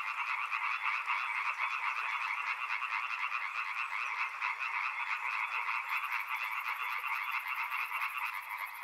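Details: Loud frog chorus intended for relaxation and sleep: overlapping rapid pulsed croaking in two bands, continuous and even throughout, with a thin high buzzing insect-like tone joining near the end.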